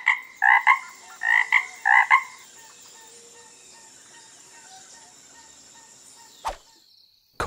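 A frog gives three short bursts of rough, pulsing croaks in quick succession, then falls quiet.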